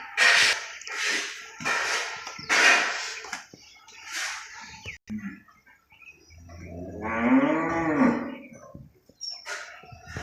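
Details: Cow on a commercial cattle farm among hundreds of animals, giving one long low moo of about two and a half seconds that swells and then fades, preceded by clattering, knocking farm noises.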